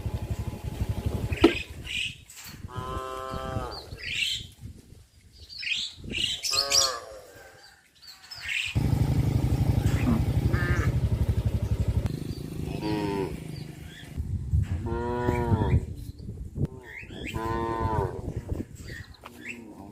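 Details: A herd of cows walking back to a traditional livestock pen low in drawn-out, rising and falling moos over a low rumble, with birds chirping.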